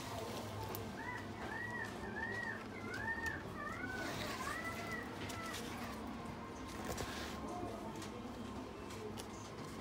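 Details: A Miniature Dachshund puppy gives a run of thin, high whines over steady indoor background noise; Miniature Dachshund whine.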